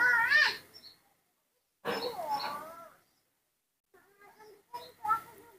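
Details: Newborn rescued baby monkey, its face covered in dried pus, being fed milk indoors. Three bursts of wavering, quavering squeals, the first two long and strong, then softer broken squeaks near the end, with a soft human voice nearby.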